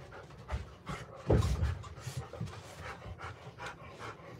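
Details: Close, louder panting of a Golden Retriever caught by a surveillance camera, quick breathy puffs broken by one heavier low thump-like exhale early on, then resuming a fast even rhythm.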